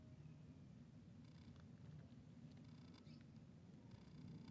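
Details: A cat purring while a kitten plays with a big cat: a steady, low, rough rumble that runs throughout, with faint soft clicks and rustles above it.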